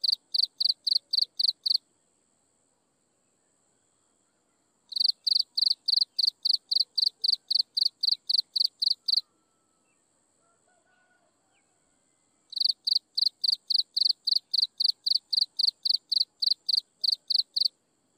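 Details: Insects chirping at sunset: three bursts of fast, regular, high-pitched chirps, about four per second, separated by pauses of several seconds, over a faint steady high hum.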